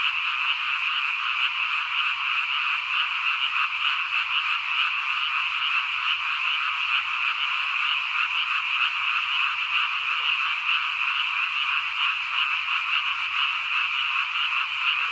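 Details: Rural frogs in full chorus, a thick wall of overlapping rapid croaks that never pauses, harsh and trilling, holding an even volume from start to finish.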